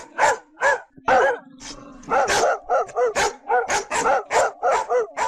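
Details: Real barking of large dogs, loud and deep, in a quick run of about a dozen barks after a few opening woofs, with a faint steady hum underneath.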